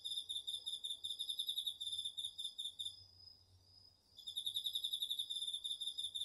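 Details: Autumn cricket in a garden field chorus, captured on a DR-40X recorder: fast high pulsed chirps that break off for about a second, leaving a thinner steady tone from another insect, before the rapid trill resumes.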